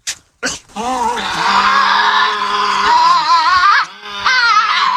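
A Tasmanian devil gives a drawn-out, wavering growl that rises into a harsh, moaning screech.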